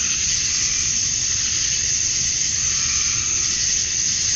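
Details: A wall of male cicada song at dusk on a Georgia summer night, meant to attract females: constant sizzling high-pitched buzz without pauses, a thin sharp tone riding above, faint low hum beneath.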